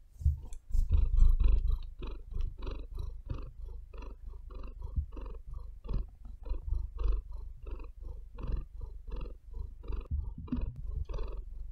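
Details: Domestic cat purring close to the microphone, deep rumbling throbs alternating with breaths about three times a second, with a few louder scratches of claws digging into the bed near the start.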